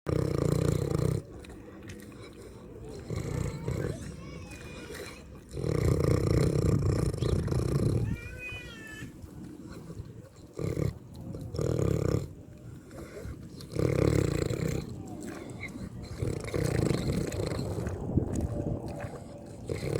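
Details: Farm pig eating and snoring: deep, rough, low rumbling bursts lasting one to two seconds, repeated with short quieter gaps, with faint voices heard briefly in the middle.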